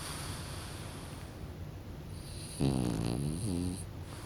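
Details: Dozing pet French Bulldog named Kokubo lets out one long, deep, fluttering snore that rattles for about a second, followed by a shorter second snort, over faint steady hiss.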